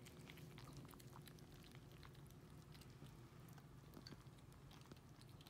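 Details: Four 8-week-old kittens, Racecar, Pip, Hannah and Tunanut, crunch and slurp canned cat food and kitten kibble indoors; a steady, quiet patter of fine crackling chews and clicks runs throughout over a low room hum.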